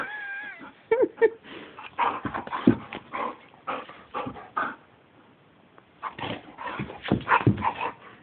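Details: Indoors in a bedroom, an excitable pet dog opens with a drawn-out wavering whine, followed by clusters of sharp yelps and rough barks broken by brief pauses.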